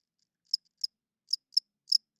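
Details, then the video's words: Night-time cricket giving five short, high chirps in an irregular sequence, separated by silent gaps, in otherwise quiet surroundings. "40 Minutes of Cricket Chirping Sounds - Cricket klinkt 's nachts luid"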